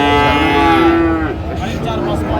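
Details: Friesian or crossbred bull calf, about four months old, at Raniganj cattle market in Dinajpur, Bangladesh: a long steady low moo lasting over a second, with market chatter and crowd noise behind.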